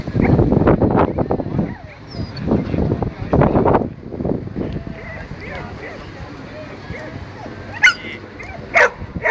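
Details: Belgian Shepherd Groenendael at a natural herding aptitude test, timed run. About eight low, harsh barks in quick bursts over the first four seconds, then quieter rustling and movement with a few short high chirps near the end.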